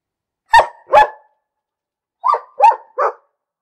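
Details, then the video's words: A dog barks twice in quick succession, pauses about a second, then gives three slightly lower, rapid barks, each short and abrupt, with a silent background. "Bellender Hund - Hunde bellen"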